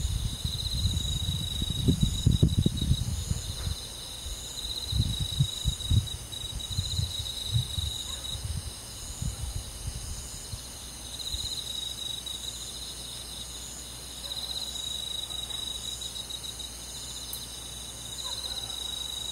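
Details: Crickets and other insects of a countryside forest on a summer night: steady, high, pulsing trills stacked in several bands. Low rumbling noise fills the first half, then fades, leaving the insect chorus alone.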